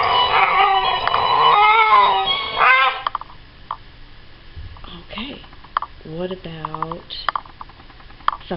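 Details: Female Siberian husky Reykja gives wavering, drawn-out howls and whines, "singing" along after a loud burst of classical music when asked to sing.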